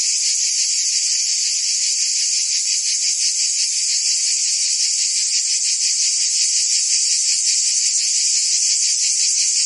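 A dense chorus of crickets, a steady high shimmering trill with fast pulses and no pauses.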